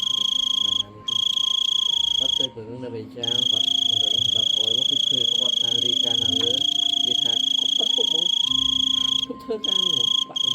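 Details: Big cricket calling loudly: an unbroken, shrill high whine with brief breaks near the start, middle and end, over people talking and a steady lower hum in the background.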